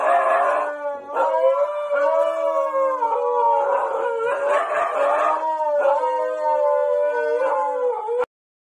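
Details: A Rottweiler puppy (Canis familiaris) gives a long, wavering howl that rises and falls, with brief breaths between.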